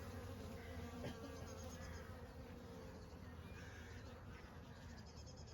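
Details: Honey bees in summer, a steady low droning hum with layered overtones that holds without a break, thickening briefly near the first second, with faint higher chirps in the background.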